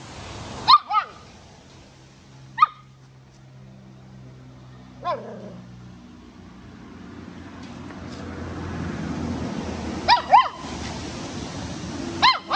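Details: A puppy busy chewing gives single sharp, high barks spaced several seconds apart, then a quick double bark and one more at the end, over a low background hum, followed by laughter.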